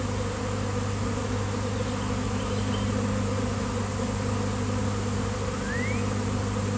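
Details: Honeybee swarm that appeared out of nowhere on a fine day, settling on a basketball hoop; steady, low, many-winged humming holds at constant strength for the whole stretch, with a faint brief rising whine near the end.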